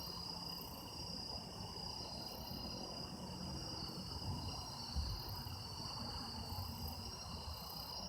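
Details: Autumn insects recorded in Japan as sound-effect material: a steady, shimmering chorus of several continuous high trills layered at different pitches, unbroken for the whole stretch over a low rumble of distant background noise.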